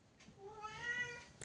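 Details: Domestic cat indoors in a newly moved-into home, giving a single drawn-out meow with a steady harmonic tone lasting about one second, followed by a brief rustle.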